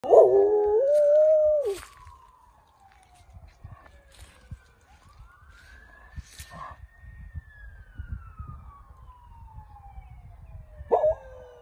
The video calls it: Gog Wolf Howling with Police Siren